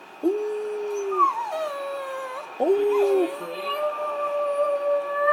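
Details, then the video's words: Shih Tzu dog howling to ask for a walk: two drawn-out mournful notes, each starting with a sharp rise and then holding steady, followed by a higher lingering wail, faint background hum. "Buster howls"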